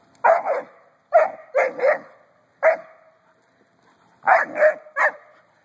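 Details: Odin, a Doberman Pinscher puppy, barks during his first experience with a noisy rubber ball: short, sharp, mid-pitched barks in clusters of one to three, with pauses of about a second between bursts, in a quiet room.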